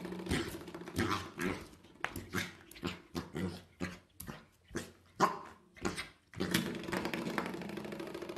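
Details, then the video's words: Pembroke Welsh Corgi puppies playing indoors in a small room, giving short rough growls and grunts in quick bursts about every half second. Shuffling and handling noises run between the bursts. "Awesome Corgi Pups"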